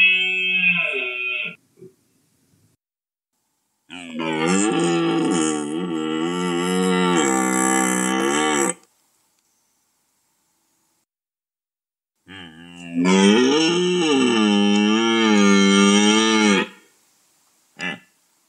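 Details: Red deer calling during the rut: a short call opens, then two long, loud, deep bellows of about five and four seconds, richly harmonic with a wavering, moaning pitch, separated by silence.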